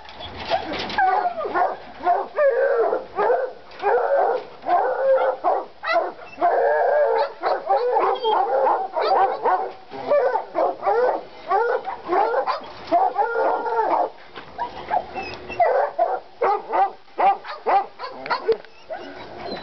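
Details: Two Treeing Walker Coonhounds, Lady and Cooper, worked up over a coon skin in North Carolina: a dense, unbroken run of rapid bawling barks and short howls, voices overlapping with hardly a pause.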